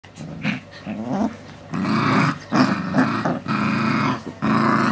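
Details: Four-week-old Alaskan Malamute puppies play together, growling and whining in rough, rumbling bursts.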